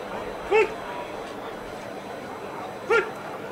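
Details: Dog Ivar vom Falorie barking during protection work at the NIAK 2017 dog sport trial: two short, sharp barks about two and a half seconds apart over a steady background murmur.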